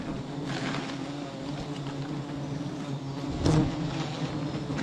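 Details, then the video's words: Bee swarm droning at a tree bearing 11 hives, a constant low hum broken by a few knocking thumps, one louder bump near the end. "Hit this beehive tree 11 hives , will this nest bee in 2023"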